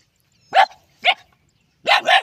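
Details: Pet hunting dog named Apara, attacking a big snake: four sharp, harsh barks, two single barks about half a second apart, then a quick double bark, against an otherwise quiet background.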